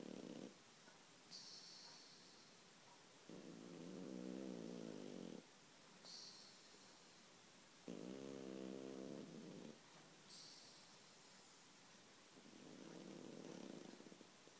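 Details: Pet cat sleeping very deeply and snoring: soft, low, rumbling outbreaths lasting about two seconds alternate with brief airy, hissing inhalations, in a slow, steady cycle roughly every four seconds, over a faint constant room hiss.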